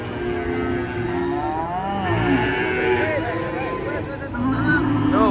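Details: Cattle mooing during truck unloading: a long wavering moo followed by short, bouncing, repeated calls near the end, over steady music and faint voices.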